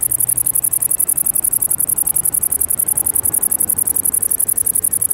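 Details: Tettigonia viridissima, the great green bush-cricket, giving an unbroken shrill, high-pitched buzzing trill of quick regular pulses, with faint low rumble beneath.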